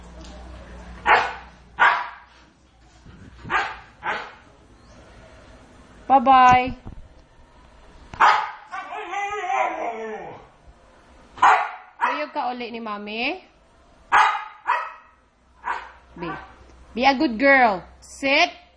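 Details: Big household dogs bark in loud, short bursts mixed with a person's talking; between barks come curving, harmonic vocal sounds, and the barking grows busier toward the end.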